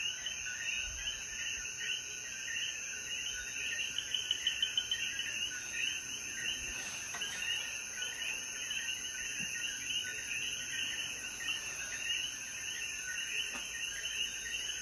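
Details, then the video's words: After rain at sunset in Jayuya's mountains, Puerto Rico, coquíes form a thick continuous chorus of chirps. A brief run of quick clicking taps stands out near the start, over a constant high insect whine. "Sonidos de Coquí"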